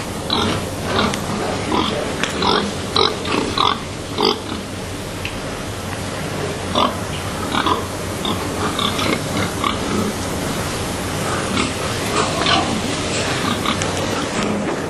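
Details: Many pigs held overnight in cramped boxes at a Swedish slaughterhouse, some stressed or sick; a dense, overlapping chorus of short grunts and occasional higher squeaks runs throughout, over a loud steady hum from the building.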